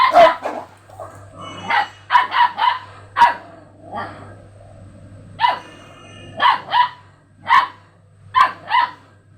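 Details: Dogs reacting to a strange sound in front of them bark hard and fast, loud clipped barks tumbling in clusters of two or three, with a low constant hum underneath.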